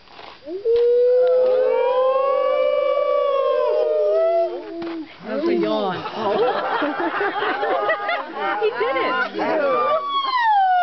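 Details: Wolves howling at the Colorado Wolf and Wildlife Center in the middle of the day: a long steady howl, then several animals join in a dense chorus of overlapping wavering, yipping howls that rises and falls.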